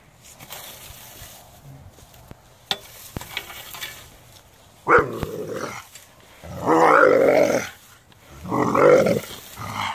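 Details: A Doberman objecting to a rake. After a quiet start with a few clicks and knocks, it gives three hoarse, harmonic growl-barks spaced about two seconds apart, each lasting roughly a second.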